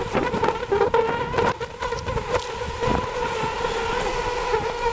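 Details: Wild honey bees at a very large hive high up a tree in a forest, during a wild honey harvest: a steady, dense droning hum throughout, with scattered knocks and rustling noises over it.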